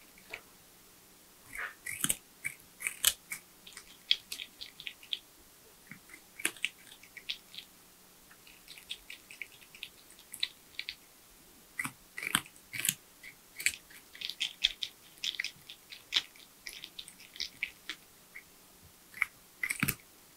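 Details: Tree porcupine eating nuts, bananas, sweet potatoes, apples and carrots in a small indoor space. Loud, busy crunching and gnawing comes in dense flurries of crisp bites across the whole stretch, with brief quieter gaps.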